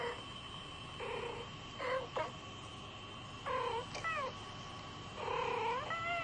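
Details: Domestic cat sounds while the kitten Kisa watches two talking cats: drawn-out meows that bend upward and then fall, some with a quick rising chirp, coming in bursts about every one to two seconds over a constant background hum.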